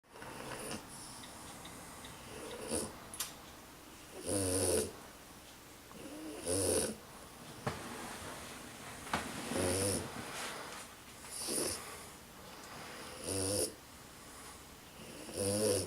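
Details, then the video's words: Tired French Bulldog snoring indoors, a steady series of rough, rasping breaths repeating about every two seconds, each snore a broad noisy burst with a whistling hiss on top, quiet pauses between. "French Bulldog Nikki snoring"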